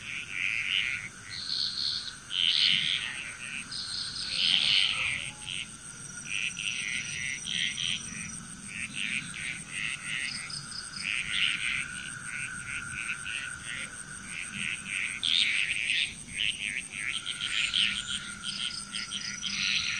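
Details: Frog chorus in Bali, Indonesia: overlapping bursts of rattling, croaking calls in dense clusters, several voices calling at once in uneven waves, over a steady high insect-like buzz and a constant low hum.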